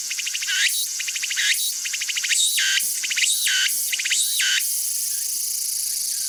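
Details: Tsukutsuku-boshi, the walker's cicada, singing: fast buzzing pulse trains broken by looping up-and-down phrases roughly every second, then ending in a sustained high drone.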